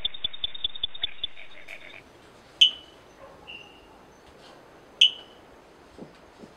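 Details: Brazilian frog calling: a quick run of sharp, high clicking pulses for about a second and a half, then single bright, high chirps that each fade with a short tail, spaced a few seconds apart in a quiet setting.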